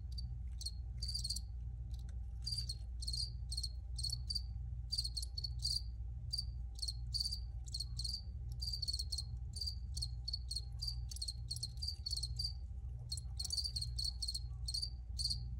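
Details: Dense, rapid high-pitched chirping from crickets, bursts following one another almost continuously with short gaps, while a low droning hum sits underneath.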